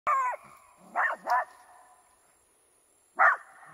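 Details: A poodle gives sharp, high barks at a bull, kept apart from it by a ditch; a double bark comes in the middle and a single one after a pause.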